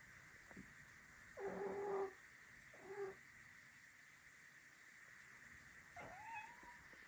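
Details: Rescued pet cat, taken in as a kitten after nearly falling into a river, crying in a way that may signal stress from a usual game: three drawn-out, wavering meows spaced over several seconds, the last rising then falling, over a steady background hum.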